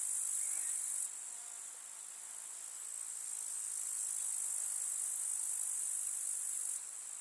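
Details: Grasshoppers in a summer meadow with wildflowers, countryside: a dense, continuous high shrill stridulation, steady and hissing, with a brief dip in intensity near the start and again at the end.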